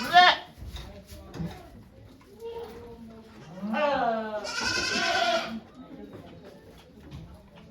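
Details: On a Japanese goat farm on 3 May 2023, a doe giving birth to twins is watched by volunteers; two long, trembling bleats follow each other mid-clip, preceded by a short cry and soft human voices.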